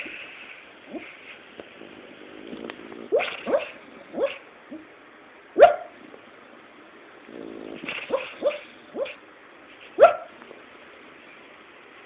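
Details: Pet dog named Sali barking in her sleep while dreaming, lying under a pile of fabric; soft muffled woofs and short yips scattered irregularly, with two sharper barks near six and ten seconds, against quiet indoor background.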